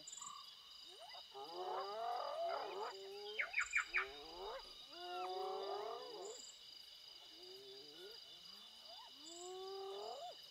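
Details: Spotted hyenas with a cub, very close, in Kruger National Park give a run of whining, sweeping calls that rise and fall, with a steady insect buzz behind.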